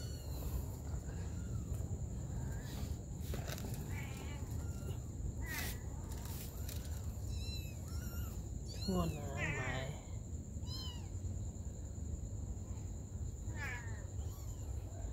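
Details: Mother cat caring for her baby kittens. Short wavering mews are scattered through the recording, with one louder, drawn-out call near the middle. A low rumbling background and a faint steady high tone run underneath.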